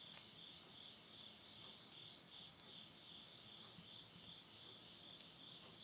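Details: September 2020, midnight in the Tottori countryside, Japan: insects keep up a bright, high, throbbing trill without pause at the close of summer, while faint snaps of burning wood in a stove sound occasionally.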